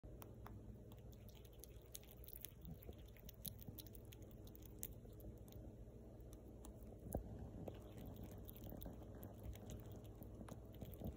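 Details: Rescued baby female fox squirrel eating: rapid dry crunching and clicking bites, irregular and close, scattered across the whole stretch with one louder crunch near the middle, over a steady low hum.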